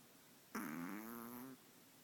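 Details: A five-month-old long-haired Chihuahua snoring while asleep. One low, steady, buzzing, nasal snore lasts about a second, against quiet room hiss.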